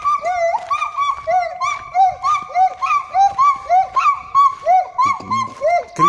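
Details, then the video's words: Gibbon singing from a cage at the Monkey Temple, Thailand, its call described as crying: loud, rapid whooping notes that swoop upward, about two each second in an even run, with a brief human voice near the end. "ПЛАЧ ГИББОНА"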